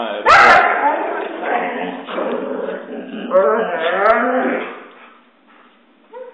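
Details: Husky whining and talking, wanting a walk after its owner returns from work: warbling, bending, moaning vocalizations with a sharp yelp at the start, then quieter whimpers trailing off.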